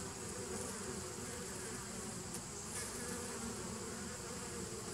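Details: A nucleus colony of honey bees from 2017, recorded 27 September 2018, producing an unbroken low buzzing drone with steady level and a faint hissy upper layer.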